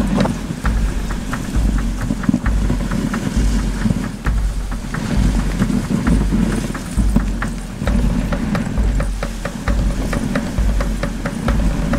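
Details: Rhythmic music with a steady beat and low, booming percussion fills the recording, with no animal calls audible.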